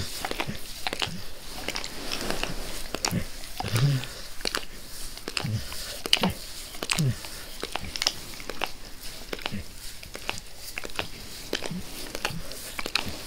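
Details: Max, a pet dog, licks his owner's face with zeal indoors: wet, smacking clicks arrive in quick, uneven bursts, with occasional soft low snuffles in a small, quiet room.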